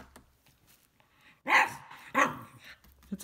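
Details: A female Cavalier King Charles Spaniel, Isabelle, barks at a household vacuum cleaner while playing with her favorite ball indoors. Two loud, ringing barks come in quick succession after a quiet start.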